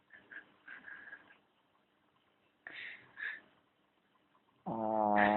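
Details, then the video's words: Charlie the dog snoring: soft raspy breaths in short bursts, a quiet pause, then a sudden loud, harsh, buzzing snort with a strong low rumble closing the sequence. "Charlie Snoring"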